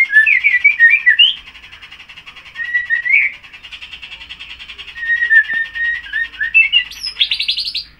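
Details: White-rumped Shama kept as a cage bird, a youngster of less than six months that has just finished its tail moult and sings in full voice (gacor); quick warbled and whistled runs, a quieter stretch, then sharp high notes, constant buzzing behind.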